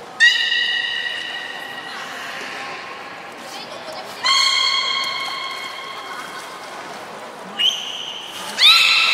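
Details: Captive beluga during a public training session at Port of Nagoya Public Aquarium, 4 November 2018, 16:00 show: steady, nasal, harmonic-rich tones held about two seconds, repeating several times, ending in a rising squeal, with crowd chatter underneath.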